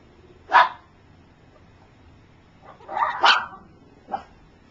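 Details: Three-week-old puppies from Gypsy's litter, some learning to walk while others sleep. Three separate high yelps, the middle one a doubled, louder cry, with quiet pauses between them.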